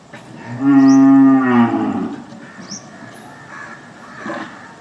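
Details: One cow gives a single steady moo of about a second, deep and richly layered, trailing off into a hoarse tail, then soft background noise with a few faint distant sounds.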